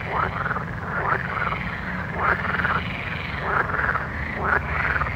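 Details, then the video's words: Frogs at night giving paired, slightly rising croaks roughly every second, several overlapping callers over a continuous deep background drone. "Soothing Night Frog Sounds"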